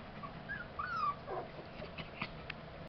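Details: Tibetan Terrier from the Tingsha Bells kennel, born July 11, 2012, out of Gold Jack'Daw Berta by Araki Incognito, gives a thin whistled whine that slides downward, followed by short soft yelps over steady background hiss.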